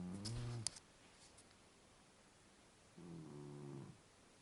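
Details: Sleeping Scottish Fold cat named Vayt snores softly: one short, low guttural breath at the start, then a long silent gap before a second, quieter, drawn-out rumbling snore lasting about a second.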